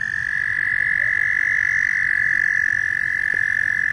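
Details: Loud frogs calling in a dense, shrill trilling chorus that holds one high, buzzy pitch without a break for the whole stretch.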